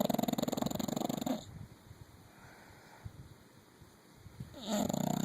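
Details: Nine-year-old female English Bulldog asleep, giving a rattling, fluttery snore for over a second, a quiet pause of soft breathing, then another vibrating snore starting near the end.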